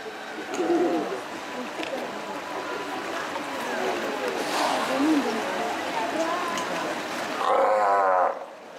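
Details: A Steller sea lion colony mutters and grunts with scattered short calls and faint splashing, then one sea lion closes with a loud, sustained, harmonic bellow of about a second.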